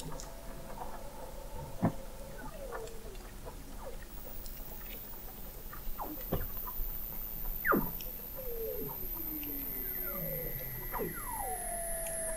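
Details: Under-ice chorus of Weddell seals in McMurdo Sound, Antarctica, November 2017, picked up 21 m below the sea ice: scattered sharp downward chirps and clicks, falling whistles, and a very high thin tone slowly gliding down throughout.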